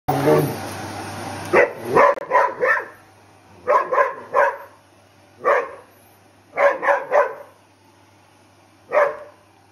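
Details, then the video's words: Dog in a home in Belgium barking at a vacuum cleaner while jumping up and down the sofa; sharp barks in quick clusters of two to four, after an opening stretch of steady machine hum. "Dog Barking at Vacuum Cleaner"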